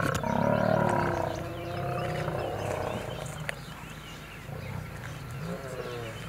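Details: Wild lions battling in Kruger National Park, South Africa, near Kambaku River Lodge: an old male fights young males who refuse to give up their territory. A loud, harsh snarling roar opens, then fades into lower rumbling growls with scattered clicks.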